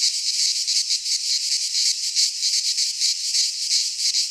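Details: Cicadas singing in midsummer in a pine forest in Greece, a dense continuous high buzzing chorus pulsing about three times a second, with no other sounds.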